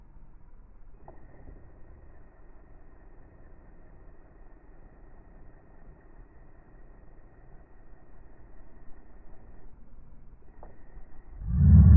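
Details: A low steady rumble like a distant vehicle with a faint thin tone above it, ending in a sudden loud thump.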